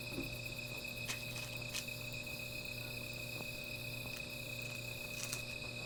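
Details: Night insect chorus near a small fire: an unbroken high ringing trill holds steady, interrupted by several brief crackling snaps and pops, with a low steady hum underneath.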